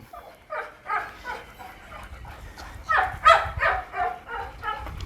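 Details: Young pit bull puppy, described as grown up and about one month old, eating outdoors; a series of short, fairly high yaps and barks repeated rapidly, some louder bursts in the middle, with background noise.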